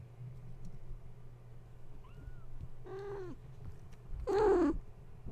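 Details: Kittens of the cat Gaia, stirred awake at bedtime by the plugging in of a space heater, give a faint short squeak, then two clear arching meows, the last louder and wavering, against a constant low hum.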